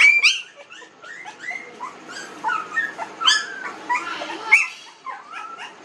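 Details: A group of 19-day-old newborn puppies crying with thin, high, wavering whines and short squeaks, several overlapping, some louder peaks standing out among softer whimpers.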